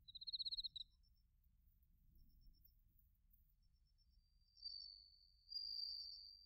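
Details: Bell crickets and crickets in autumn at Narita, Chiba, Japan, recorded with a TASCAM Portacapture X8; a short burst of rapid pulses opens, then a quiet gap, before a steady high trill rises near the end.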